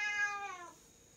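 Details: Bengal cat at play on a floor-to-ceiling scratch tree; a strong, harmonic meow opens the moment, then slides slightly downward and fades out within under a second, leaving a quiet room.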